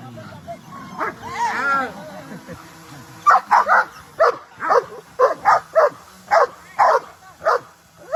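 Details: Dogs at play, happy and running. A person's voice comes first, then steady sharp barks repeated about twice a second until the end.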